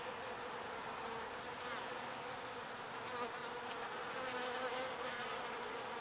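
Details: Several small bees gathering pollen and bringing it home to their hive, heard as a continuous layered buzz, a constant wing hum that swells slightly toward the end with occasional brief nearer flybys.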